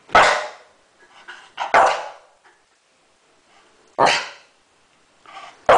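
A Staffordshire Bull Terrier gives loud, throaty bark-like yowls, each sharp onset fading away, when told to speak.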